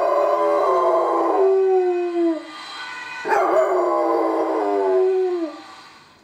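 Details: Domestic dog howls as a Dutch ambulance siren passes, two drawn-out wavering howls, each rising then trailing off downward, separated by a short pause, with the siren's alternating tones audible in the background.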